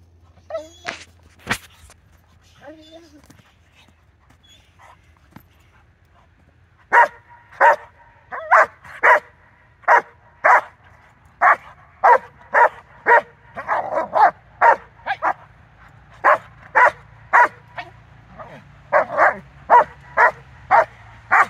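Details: Rottweiler recorded on 4 September 2022 barking steadily, sharp barks repeated about twice a second after a quieter opening with brief human speech and a few knocks.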